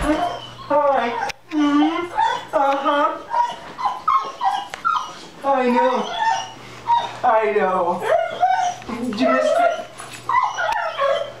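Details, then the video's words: Dog crying like a child on seeing its owner again after six months away: high, wavering whines that rise and fall in bursts, interleaved with a man's soothing voice talking to it. "Questo cane rivede il suo padrone dopo 6 mesi e piange come un bambino"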